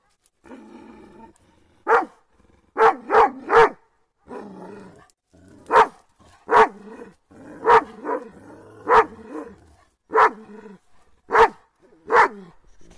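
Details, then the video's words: Kangal dogs on the attack give deep, loud barks, single or in quick doubles, roughly one burst per second, with rough growly sounds between barks. "BU KANGALLAR NEYE SALDIRIYO BÖYLE İNANILMAZ"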